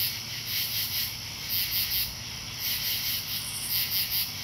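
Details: Katydids at night in Marlborough, Connecticut, on 8 August 2011 give a dense, high, raspy chorus of pulsing buzzes.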